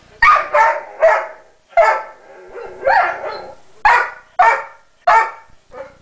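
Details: Pet dog Sombra protests that Decker holds a tiny piece of his chew bone, giving eight or so whiny, yelping barks in an uneven string, each rising and falling, indoors with no other sounds.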